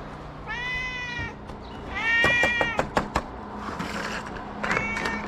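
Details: Kitten rescued into a small shelter for abandoned cats in Morocco, mewing two drawn-out harmonic meows, the second louder and rising, followed by sharp tapping clicks and faint later mews.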